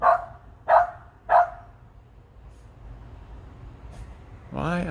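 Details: Dog barking at a large bird, possibly a turkey vulture, perched up in a tree: three sharp barks in quick succession, then a pause and a woman speaking.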